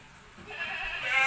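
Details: Peranakan Etawah goat at Margono farm, a jumbo PE goat breeding farm, giving a short bleat that swells in loudness, with a nasal, buzzy, harmonic-rich tone that brightens toward the end; quiet background.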